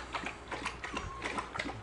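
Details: German Shorthaired Pointer puppies, one and a half weeks old with eyes not yet open, give short squeaky high whines, about six quick tonal bursts in under two seconds, each with bright overtones, over a faint low indoor hum.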